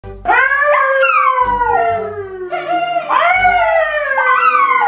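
Dogs howl in long, wavering tones that rise and then slowly slide downward, overlapping one another.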